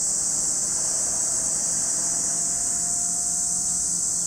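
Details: Cicada chorus at Lake Kamo, Sado City, Niigata Prefecture, Japan, a constant piercing buzz, while a faint low hum and thin steady tones sit underneath.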